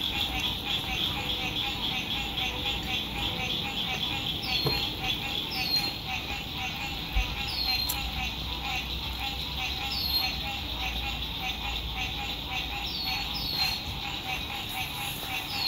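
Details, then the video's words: Frog songs at sunset on a lake, captured from a lakeside RV camp in spring 2021: a bright, dense trilling chorus runs throughout, with repeated short falling whistled notes and an occasional sharp tap nearby. "Sunset Frog Songs"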